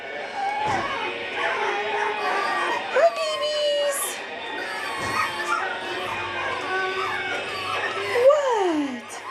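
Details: Seven-week-old puppies from one litter whining together, many overlapping high, wavering whimpers that rise and fall, with a long falling whine near the end; a person talks to them nearby.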